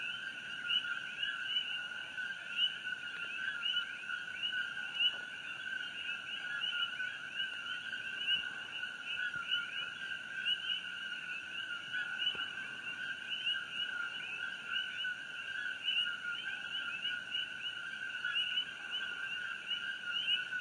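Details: Many coqui frogs calling together after dark, June 27, 2018, near Fissure 8 on Hawaii Island during the eruption; a thick, steady chorus of repeated chirps and rising notes in two bands, with a few soft background knocks.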